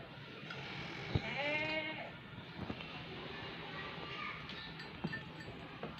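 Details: A goat at a goat farm gives a single wavering, nasal bleat over the low murmur of a busy farmyard.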